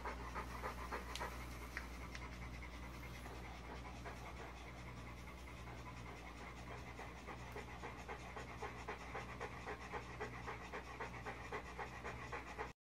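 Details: Bulldog pup after being spiked by a porcupine, panting rapidly and steadily, about three to four breaths each second, over a low constant hum.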